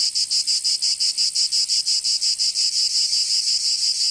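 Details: Cicadas in summer in Provence, southern France: a loud, dense high buzzing pulsed in rapid regular throbs about three per second, easing into a steadier drone toward the end; no other sounds.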